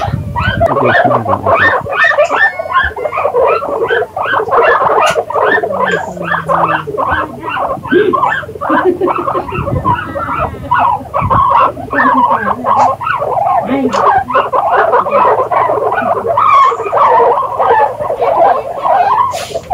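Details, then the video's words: Guinea pigs calling: a dense, busy stream of short squeaks and chattering chirps, overlapping and nearly continuous, with some rough low noise underneath. "Guinea Pigs Sound"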